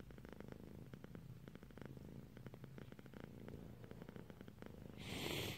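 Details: A sleepy domestic cat dozing off purrs softly, a low, steady rumbling pulse continuing throughout, ending in a brief burst of rustling noise.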